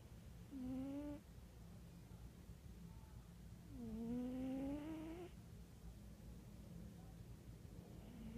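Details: Snoring from Wera, a house cat, with repeated tonal whistling breaths. One is short, a longer one swoops upward over about one and a half seconds, and a third begins at the end, with soft room noise between.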